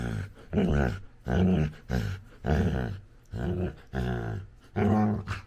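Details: Labrador Retriever puppy, female, vocalizing during play with her owner: a steady series of about seven harmonic, groaning grunts, each under a second long with short pauses between, low and throaty with a slight whine.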